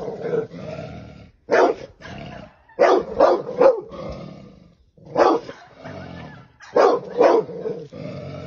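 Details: Dog attacking a snake, letting out rough, growly barks in clusters of two or three, broken by short pauses, with a low snarling tone between bursts.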